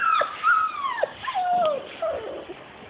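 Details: Labrador retriever puppies, 42 days old, crying in long drawn-out falling whines, one high wail sliding down, then shorter squeaky whimpers.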